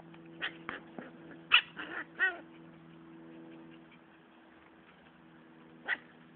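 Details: Siberian husky puppies fighting yip and squeal in short, high bursts over a steady background hum.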